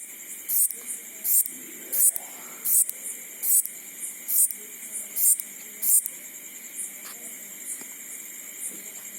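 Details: A grasshopper at night makes short, high, rasping bursts about every three-quarters of a second over a steady insect drone.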